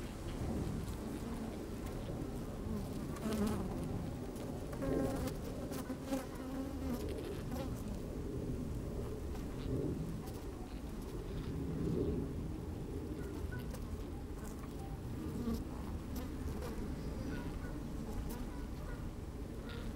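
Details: Inside an opened beehive on a sunny, slightly windy day, honey bees busy at work give a steady low drone, with short buzzes swelling now and then over faint rustling and ticking.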